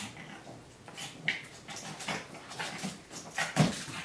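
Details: Pug and Great Dane at play in a home office, short grunting growls and snorts in quick succession with a couple of higher whimpering squeaks, scuffling movement between them.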